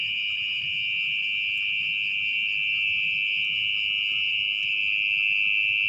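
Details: Mole cricket at night in wet, muddy ground while its burrow is dug open; a loud, continuous high buzzing trill, steady and unbroken throughout, with faint low rustling beneath.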